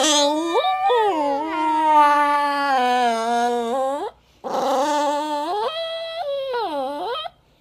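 A Chihuahua-Basenji mix dog cries in long, wavering, high whines that rise and fall.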